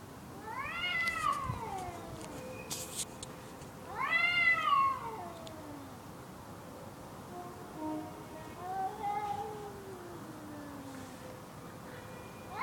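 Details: Two unseen cats outside a bedroom window, a frightened call: long wavering harmonic yowls rising then falling, two loud ones near the start, followed by softer, lower drawn-out moans.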